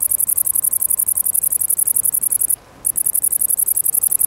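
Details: Great green bush-cricket (Tettigonia viridissima) song: a loud, shrill, fast-ticking buzz made of evenly spaced pulses, with one short silent gap midway, over quiet background.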